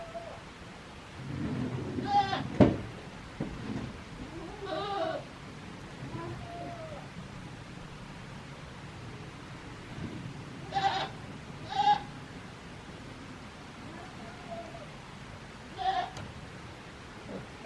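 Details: Kid goat Daizu on a handmade Japanese goat farm, Yoshigake farm, in spring, 24 March 2021; scattered short vibrating bleats spaced several seconds apart, with a person speaking softly and light handling noise.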